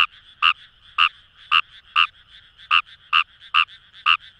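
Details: Close Fejervarya kawamurai in paddy fields of Itoshima, Fukuoka, Japan, giving loud clipped croaks about every half second, nine in quick succession, with more frogs calling steadily behind.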